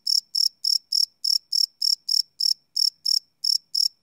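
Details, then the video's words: Crickets chirping at night, recorded live on a Sony PCM D100 field recorder: a single high, tonal chirp repeated about three times a second in a steady pulsing series, each chirp a short bright burst, on a silent background. "Cricket Chirp Sound - Cricket Sounds at Night"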